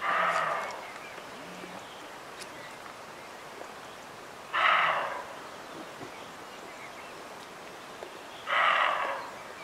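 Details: Roe deer buck recorded in the Bieszczady mountains in June 2017, giving three rough, hoarse barks spaced about four seconds apart, each short and gruff, over soft outdoor ambience with faint birdsong.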